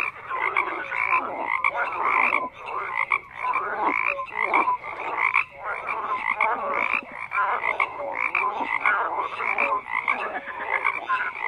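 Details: Frogs croaking in a dense chorus, many overlapping rasping calls packed between low and high pitch, with short tonal notes scattered through and brief dips in loudness every second or so.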